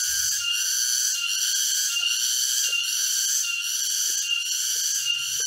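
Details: Loud cicada chorus in a forest near Jatiarjo, Prigen, Pasuruan, East Java, 23 October 2020, during a walk. An intense, strident buzz pulses quickly, about twice a second, with occasional soft low thumps.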